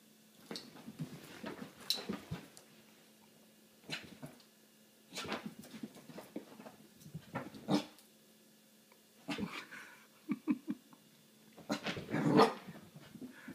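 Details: Household dog terrified of an apple, in a small indoor room: repeated bursts of whining and whimpering over about thirteen seconds, separated by short pauses, ending in a louder cluster of cries; a woman's voice follows.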